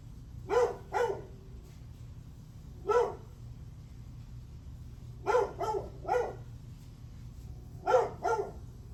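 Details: Barks from a dog recorded July 9 at 8:38 am, a paired double bark, then a single one, then a quick run of three and a closing pair, irregularly spaced above a constant low droning background.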